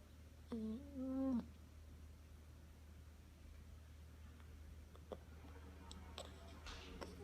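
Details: Spoiled nine-week-old Rottweiler puppy Roni whining in its sleep indoors: two brief nasal whimpers close together at the start, then fainter, broken little whines later, all over a steady low hum.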